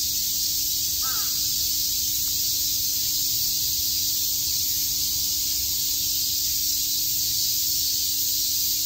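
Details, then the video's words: Cicadas fill the air with a dense, unbroken, high-pitched buzzing drone on a summer day at Shakujii Park in Tokyo. "Cicada chirps"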